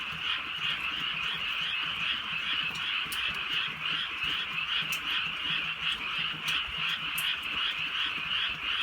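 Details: Frogs calling together in the countryside at night during gentle drizzle. Fast, pulsing croaks merge into one continuous throbbing chorus, with occasional sharp raindrop taps heard above it.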